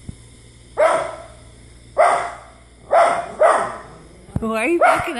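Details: Indoor pet dog named Izzy barks at dogs on a television, four loud, evenly spaced barks about a second apart, followed by a higher, wavering voiced sound at the end.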